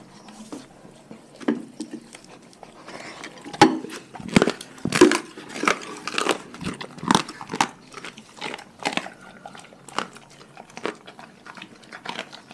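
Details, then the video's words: Dogs from a pack eat their raw food diet, making sharp, irregular crunches and bites, roughly forty a minute, with louder cracking bursts in the middle and softer chewing between them. "Dogs Eating Raw Food"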